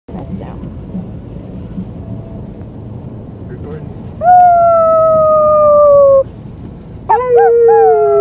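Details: White female Siberian Husky puppy howling on the day she was brought home: faint noisy start with soft voices, then two loud, long, slightly falling tonal howls, the second beginning with a quick upward scoop.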